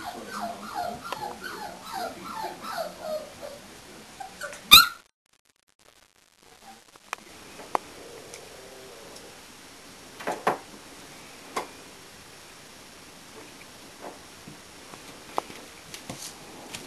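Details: English Springer Spaniel puppies at four weeks old, Y litter: a run of repeated whining whimpers for about four seconds, then a sharp click and near-quiet with only faint scattered knocks and squeaks.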